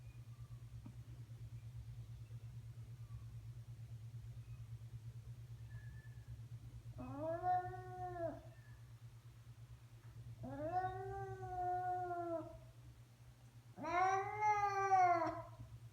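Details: Domestic cat indoors producing odd vocalisations: after quiet low humming, three separate drawn-out meows, each arching and falling, the last one loudest and most wavering.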